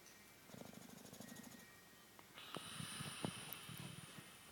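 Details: An English Bulldog taking an afternoon nap snores with a low, fluttering rattle, followed by rustling and clicking noises.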